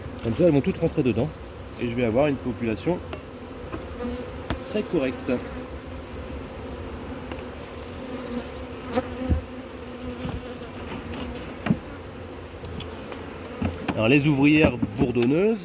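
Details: Honey bee colony suspected of being drone-laying after failed first matings on splits during a cold spell in 2024; a steady low hum with a faint upper overtone fills the middle stretch, framed by a voice talking near the beginning and end.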